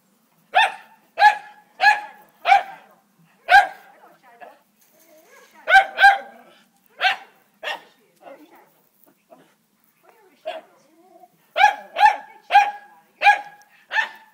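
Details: Dogs at play, barking in short bursts: four quick sharp barks, a pause with soft whines, two more, then a fast run of five barks at the end. The barks are pitched mid-range and sound clean, with little background noise.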